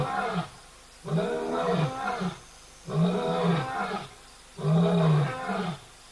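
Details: Lion giving a series of low, heavy roaring grunts, three long bursts spaced roughly every one and a half seconds, strong deep tone with rich harmonics, quiet gaps between calls.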